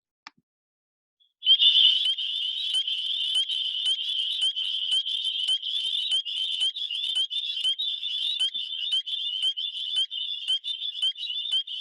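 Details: A dense chorus of spring peepers in Ohio, small frogs that give the earliest frog calls and begin on warmer days, typically in February; their high, shrill peeps blend into a steady ringing wall of sound that signals spring.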